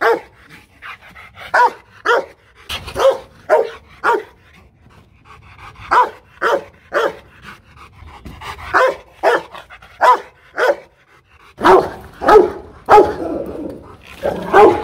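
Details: Hostile Rottweiler at a Vietnamese kennel in Hanoi giving a long series of sharp, harsh barks in irregular bursts, some quick doubles, with panting between volleys and the barking growing denser near the end.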